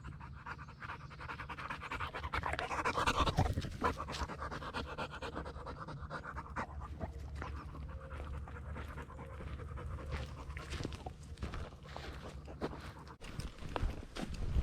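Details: American Bulldog Lady Shiva panting on a nature walk along the Bear Lake Loop Trail in Blackwater State Forest near Pensacola; fast, breathy, steady puffs fill the whole stretch over a low rumble, with footsteps and trail rustling.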